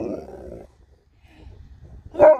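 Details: Female Alaskan Malamute named Sherpa reacting on her way home: a rough, grumbly mid-pitched mutter, a quiet gap with low rumbling, then a short loud yowl at the end.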